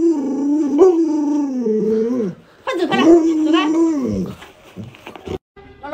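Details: Pet Alaskan Malamute Luoluo protesting as its owner jokingly pretends to cook a puppy: wavering, talkative howls rising and falling in pitch in two long bursts, followed by a person's voice and shuffling noises.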